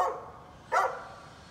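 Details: A neighbour's dog barking on 13 November 2020, a dog regularly let out to bark. A single sharp, loud bark sounds near the middle, following the cut-off end of another at the start, over quiet background hiss.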